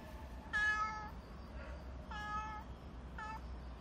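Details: Nero, a black stray cat described as very expressive with a distinctive cry, meows three times: two longer harmonic, slightly falling calls, then a short clipped one, over a low steady background rumble.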